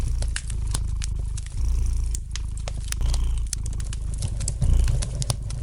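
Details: Low, continuous cat purr rising and falling with each breath, about two-second phases, while a fire in the fireplace crackles with bright irregular pops on top.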